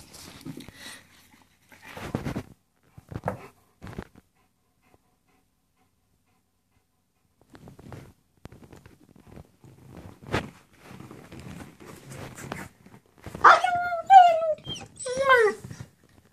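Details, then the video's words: German Shepherd Wisky begging for his toy indoors: a quiet room with scattered clicks and rustles, then near the end a few rising-and-falling whimpers and thin yelps. "Wisky begging for his toy"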